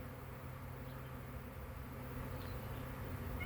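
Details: Honey bee swarm on May 9, 2023, part of a hive leaving together; a low, steady droning hum fills the air continuously, with faint high whines drifting across it.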